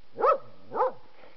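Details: Puppies romping outside in autumn, two short arched yelping barks rising and falling, spaced about half a second apart, followed by quiet.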